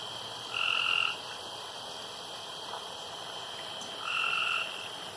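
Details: Night-time frog at a pond giving two steady, humming tonal calls about three seconds apart, each lasting around half a second, with a constant high whine in the background.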